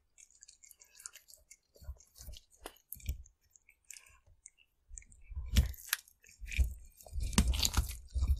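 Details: A cat eats fish: sparse soft chews at first, then from about five seconds louder crunching bites and wet smacking that come in dense bursts toward the end, recorded close in a quiet room.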